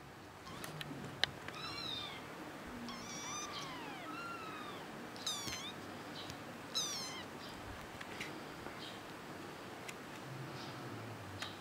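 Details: A kitten meows repeatedly in short, high, harmonic calls that rise and fall, some quick and chirpy, others drawn out and bending down, with a few sharp clicks and a soft background hiss.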